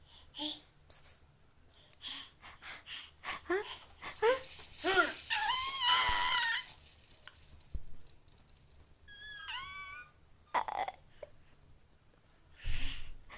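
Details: Willow, a pet cat indoors, making strange noises: a run of short chirps and wavering mews, then a quick descending trilled chirp, with soft rustles between calls.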